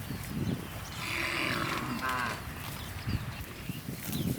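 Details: Many tame cattle gathered in rice fields looking for food; a drawn-out moo with a buzzy, ribbed tone rises and falls over about two seconds, amid steady low rumbling and scattered thumps.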